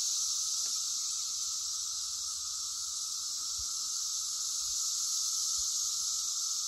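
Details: Cicadas singing in a steady, unbroken high buzz that holds level throughout, with a fainter band lower down and a few soft low thumps underneath.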